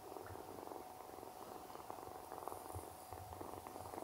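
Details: A kitten that lost its mother, sleeping beside a German Shepherd, purrs in a steady low, pulsing rumble that runs unbroken throughout. A faint hiss sits in the background.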